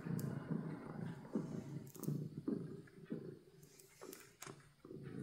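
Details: Purring of a happy pet cat: a low, buzzing rumble rising and falling in rhythmic breath cycles, about two or three per second, with a few faint clicks and rustles.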